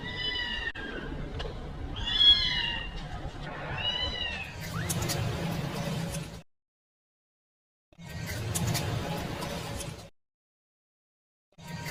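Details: Kitten calling for its mother, giving three or four short, arched, plaintive meows in the first four seconds, followed by rustling, handling noise and gaps of silence.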